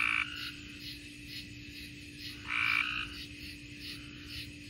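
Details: Tree frogs calling in Mississippi: two loud, bright bursts of calling stand out over a steady background chorus of softer pulsed notes repeating about twice a second, with a constant low hum underneath.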